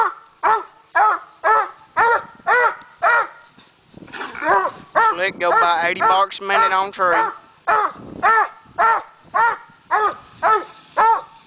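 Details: Coonhound on tree during a coon hunt, barking at a raccoon: steady chopping barks about two per second, broken midway by a longer, wavering drawn-out bawl, then regular barking resumes.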